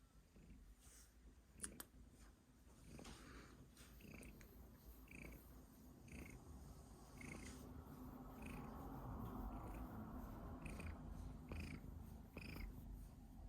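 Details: Domestic cat coughing while purring: a steady low rumbling purr that grows louder through the clip, broken by short sharp bursts and brief higher catches at irregular intervals.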